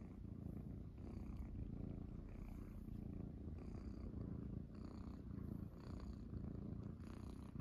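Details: Several Munchkin kittens settled on a person's belly after waking in the morning, purring: continuous low throbbing rumble with gentle rhythmic swells, plus light brushing and shifting noises over the top.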